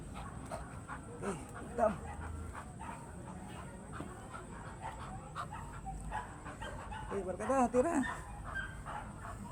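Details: American Bully, a large dog breed, heard in a breeding context: a brief whining yelp of rising and falling harmonic notes near the end, earlier faint scattered dog sounds, human voices and a steady high electrical hum throughout.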